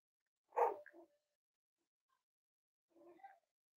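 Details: Cavalier King Charles Spaniel puppies playing and exploring together indoors: one sharp, loud bark-like yelp with a short tail, then after a two-second pause a softer, broken yip.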